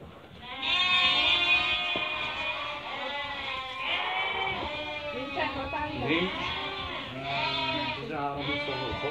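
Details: Merino sheep from a Hungarian import flock while a customer from Türkiye makes a selection; many overlapping, wavering bleats sound almost continuously from the flock, with human speech mixed in.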